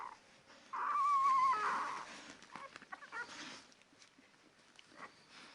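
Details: A ten-day-old Labrador Retriever puppy gives one wavering, high whine lasting under a second, then quieter rustling and soft handling noises.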